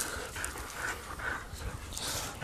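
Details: A rescued female dog, once kept by a backyard breeder, breathes in quick, breathy huffs that repeat steadily over a faint hissing indoor background.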